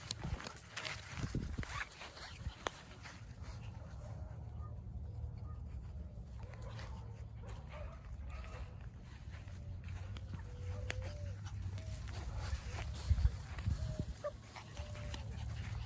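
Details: Border Collie puppies, 49 days old, from a litter born 19 April 2022 to a German sire and Russian dam, filmed 7 June 2022; faint high whines and short whimpers come now and then over a steady low hum, with handling noises.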